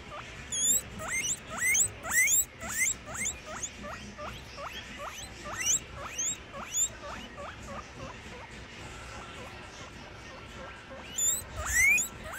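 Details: Baby guinea pigs wheek while eating a buffet, giving a rapid series of high, rising whistled squeaks, about two each second.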